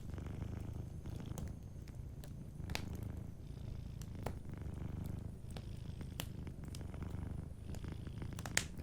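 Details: Low, even purring of a sleeping cat dominates, pulsing gently with its breathing, as a cozy fireplace adds soft crackles and occasional louder pops, one near the end.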